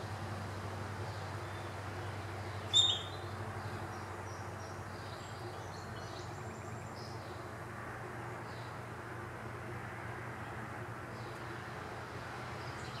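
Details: A wild groundhog (woodchuck), recorded June 8, 2018, gives one sharp, shrill alarm whistle, then falls quiet amid faint bird chirps.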